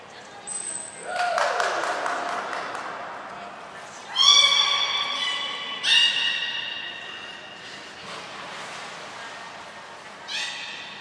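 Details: Belugas Gray, Nana and Mirai during a training session at Port of Nagoya Public Aquarium on 7 June 2022: a thin high whistle near the start, then bright harmonic squeals in two strong bursts, with fainter calls later over a murmur of voices in a large hall.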